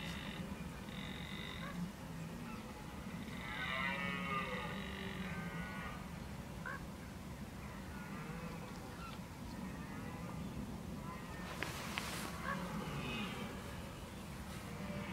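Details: Red deer filmed in October 2014, bolving as the rut approaches. Distant groaning calls with layered harmonics come mid-way, and a brief sharp noise bursts near the end over constant low rumble.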